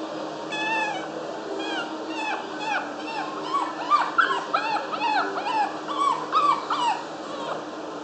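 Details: Long-haired Chihuahua whimpering in a dense stream of brief, bent, nasal whines, overlapping and irregular, sometimes sharper and higher, with a constant low hum behind.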